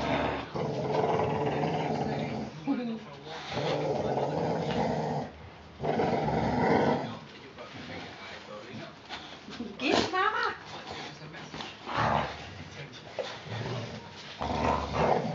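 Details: Four-week-four-day-old puppies Mama Valentine and her brother Hoyt wrestling indoors one afternoon on March 18, 2013; rough, throaty growling comes in long bursts separated by short pauses, with a woman talking softly over the play.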